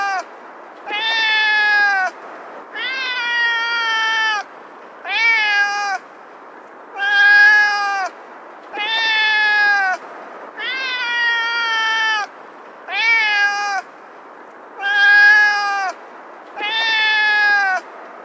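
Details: Domestic cat meowing: nine drawn-out, nasal meows about two seconds apart, each lasting roughly a second with a slight rise then falling pitch, in otherwise quiet surroundings.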